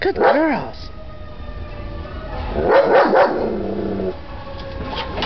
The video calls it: German Shepherd Dog Barking